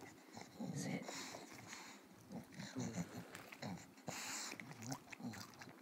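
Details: Wrigley, a pet bulldog, asked to say hi while doing tricks for food treats: rough, breathy snorts and wheezy low grumbles in uneven bursts, with a person's voice praising and coaxing between them.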